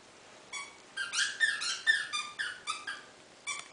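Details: Nine, a pet dog said to howl like a beluga whale, gives a quick run of high, squeaky, harmonic-rich tonal cries. About ten short rising and falling notes are crowded into three seconds, with brief pauses between bursts.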